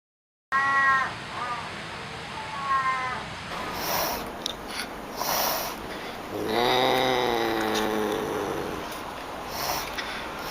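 A Pallas's cat gives short, harmonic, nasal yelping calls, some rising and falling in drawn-out wavering notes.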